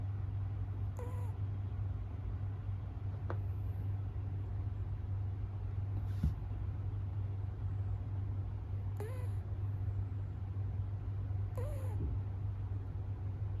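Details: Sleeping American Shorthair kitten on its sixth day in a multi-cat home, kept apart after hissing and scuffles the night before, snoring with short squeaky downward whistles roughly every two to three seconds over a steady low hum.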